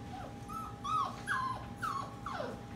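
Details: Labradoodle puppies at bedtime, indoors at night among fifteen sleeping puppies in a busy kitchen: soft, high whimpers, about five short falling whines within three seconds, over a faint steady hum.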